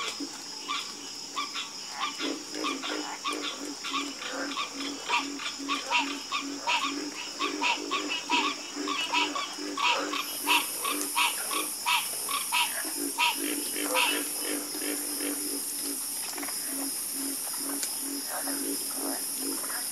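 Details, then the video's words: Busy frog chorus with rapid, repeated low croaks and clicks that crowd together, joined midway by an added pulsing high whine above the steady background hum. "Calming Sound Of Harmonious Frog Croaking"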